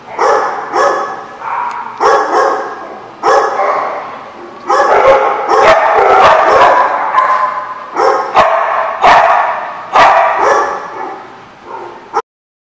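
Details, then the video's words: Dogs barking on September 26, 2014, in rapid, dense volleys of rough barks that run almost continuously for several seconds, then separate again into spaced single barks. "The Barking Lot"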